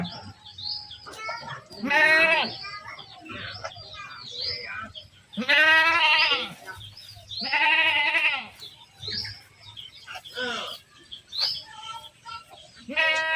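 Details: Herded goats calling repeatedly: strong quavering bleats near two, six and eight seconds with softer overlapping bleats from other animals, plus light background chatter.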